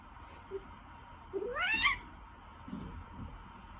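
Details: A gentle, dog-like Ragdoll cat gives one short meow that rises and then falls, with faint room noise around it and laughter afterward.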